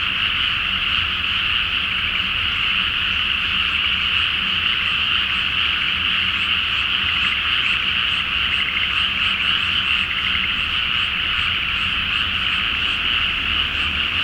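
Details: Frogs in a great chorus on a flooded rice paddy at night before rice planting, under a full moon in Japan; constant rattling croaks layered thickly, occasional sharper clicks on top.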